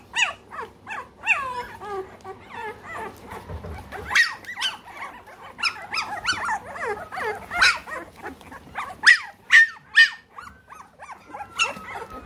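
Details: A litter of three-week-old American Bully puppies in the United Kingdom squealing almost continuously, sharp high whimpers and yelps repeated about twice a second, some drawn out and sliding downward.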